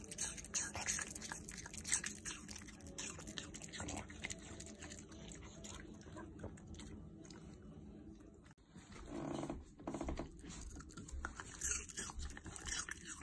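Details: Apple being crunched by a Shiba Inu, with dense bursts of crisp, clicking bites and wet chewing, a short lull near the middle, then more rapid crunching, with a person talking softly.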